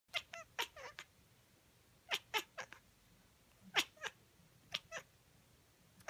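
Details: Pet cat chasing a laser pointer indoors, giving quiet, short, clipped chirping calls in quick clusters of two to four, with pauses of about a second between bursts, in an otherwise still room.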